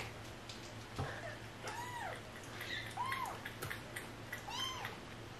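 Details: Stray cat and kittens, rescued family: three or four short arched meows spaced about a second apart, fairly faint, with a low background hum and occasional clicks.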